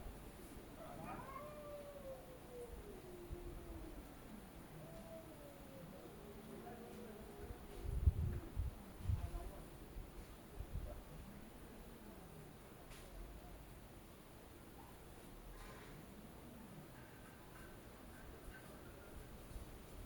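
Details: Domestic cats arguing with each other: long, wavering, low yowls that slide up and down in drawn-out curves over about twenty seconds, with a few dull thumps midway and steady background hiss.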